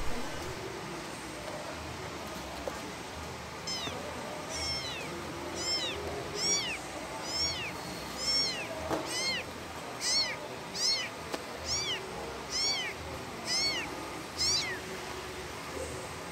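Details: Calling for its parent, a kitten gives a quiet start, then a long series of about thirteen high, curved meows roughly every second, some doubled, against low background noise.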